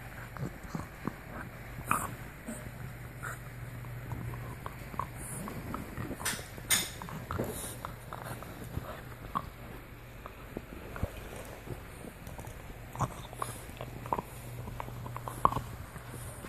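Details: A French Bulldog gnaws a deer antler, making scattered crisp clicks and scraping bites, with a few louder sharp cracks between quieter stretches and a low background hum.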